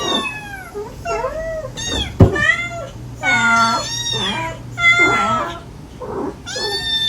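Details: A mother cat calls her five stray kittens, which answer in sweet, needy voices. Many overlapping meows, some high and thin, some lower and bending, form a busy chorus broken by one sharp click.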